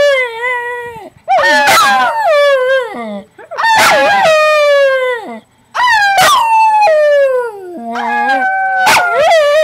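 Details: A household dog 'singing': four drawn-out howl phrases separated by short pauses, each starting high and sliding gradually downward, with some wavering breaks between notes.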